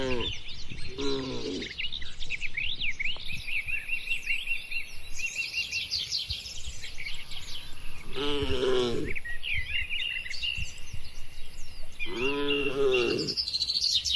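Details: Tame cattle crowded together in a farm pen: three drawn-out, resonant lowing calls spaced several seconds apart, over steady high bird chirping and a faint constant whine.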